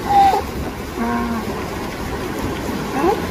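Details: Baby California sea lion making sounds while looking around in the wild in California; short tonal calls, one long steady low note in the middle and a brief rising squeal near the end, over constant background rumble.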